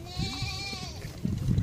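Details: A baby goat at feeding time lets out one steady, drawn-out bleat rich in overtones, which fades into low shuffling and munching noises.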